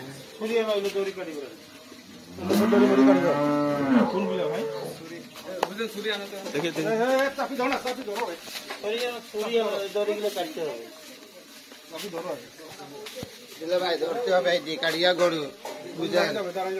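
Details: Cattle on a farm in Saidpur, Nilphamari, Bangladesh, on Eid day at the sacrifice; a long, drawn-out, rising then falling moo, followed by shorter lowing mixed with people talking nearby.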